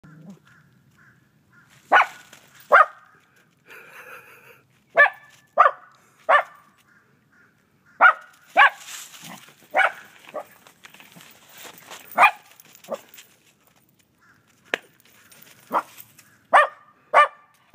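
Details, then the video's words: A dog barking at a snowman: sharp single barks, sometimes in pairs, spaced irregularly over about eighteen seconds, with faint higher whines between. "Barking at Snowman"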